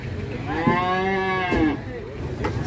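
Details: White Simmental cattle lowing at a market in Indonesia: one loud, rich moo lasting about a second, steady then slightly falling, with people talking and music in the background.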